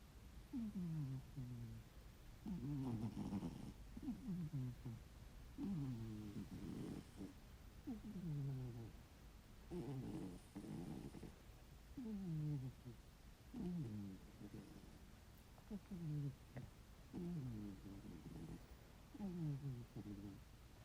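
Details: Heavy snoring from a sleeping ginger tabby house cat, steady and rhythmic, one snore roughly every 1.3 seconds, each a wheezy, descending, slightly whistling breath with a rougher rasp on some inhalations.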